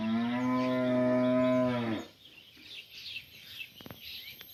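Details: A village cow in the morning, separated from the others, calling to another cow: one long, steady, deep moo with rich harmonics lasting about two seconds, then quiet with faint birds chirping in the background.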